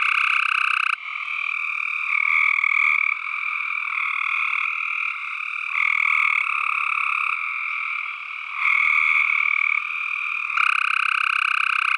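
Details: Tree frogs in a dense, unbroken chorus of rapid pulsed croaks, a harsh two-toned drone that swells and drops in loudness every second or two, many callers overlapping, no other sounds.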